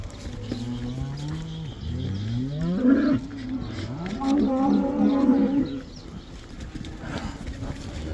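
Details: Cattle let back into the pasture in the Netherlands, the cow dance; low rising moos swelling into a loud, wavering bellow, then another long trembling moo before fading to outdoor noise.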